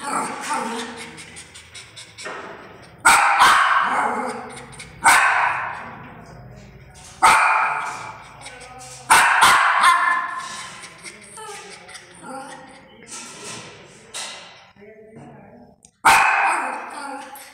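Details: A pet Indian Spitz (Pomeranian type) barks loudly and angrily in sharp, harsh bursts, a few seconds apart.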